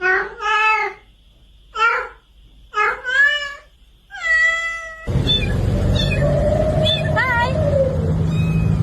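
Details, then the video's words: Cat giving four drawn-out, wavering meows about a second apart, then a loud continuous rumbling background with a further strained, rising and falling meow. "Funny Cat Noises"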